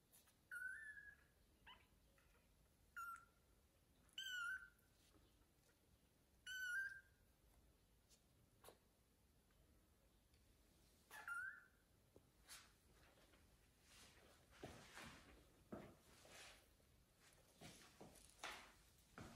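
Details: A blind domestic kitten (Felis catus) gives high, thin meows in short bursts as it tries to reach its mother so she will feed it.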